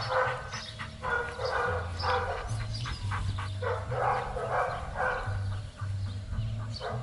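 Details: Belgian Malinois named Trueno during a training session in Zumpango, State of Mexico, giving a run of short, harsh barks in quick succession, about ten bursts over seven seconds, over a steady low droning hum.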